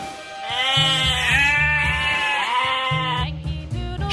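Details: One prolonged sheep bleat lasting nearly three seconds, level at first, then quavering and falling, accompanied throughout by cheerful music and a pulsing low beat.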